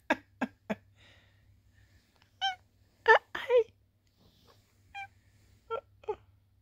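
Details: Sweet Pea, a female tabby cat, chatty indoors while posing and cleaning; her squeaky, bell-like voice gives short chirpy meows, three quick ones, then a few longer wavering calls, in a quiet room.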